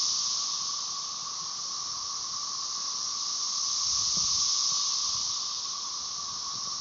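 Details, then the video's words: Brood XIX chorus of Magicicada tredecassini with M. tredecim behind, recorded at Tyler Bend near Marshall, Arkansas, May 30, 2011; a continuous shimmering hiss rising and falling gently in loudness above a steady lower hum. "Periodical cicada "cassini" chorus"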